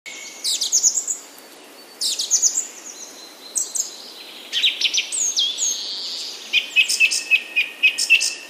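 Golden lion tamarin giving shrill, bird-like whistles and chirps in quick bursts.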